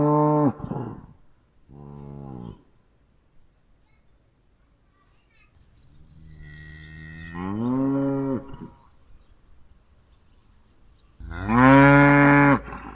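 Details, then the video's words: Series of cow moos: two short, deep lows at the start, then a longer rising moo, and a final loud, sustained bellow near the end, with silence between calls. "Kuh geräusch - Kuhgeräusche"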